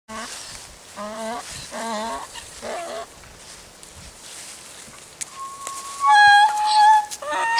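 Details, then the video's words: Miniature donkey foal Hyrskyn-Myrskyn learning to use its voice, with adult miniature donkey Daisy showing the way: a series of short, harmonic, wavering nasal calls, then louder sustained tonal honks near the end. "Aasivarsa opettelee käyttämään ääntään - Donkey foals voice"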